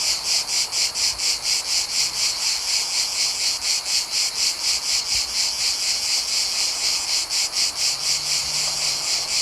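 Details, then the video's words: Mediterranean summer cicadas recorded outdoors, a dense high buzzing chorus throbbing in even pulses roughly twice per second, unbroken for the whole stretch with no other clear sounds. "Cicadas Chirping Sound Effect | Mediterranean Summer Ambience"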